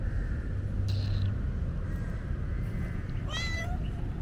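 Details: A shy stray street kitten gives a brief soft mew near the start, then a clearer, higher meow that rises and falls toward the end, over constant low outdoor rumble.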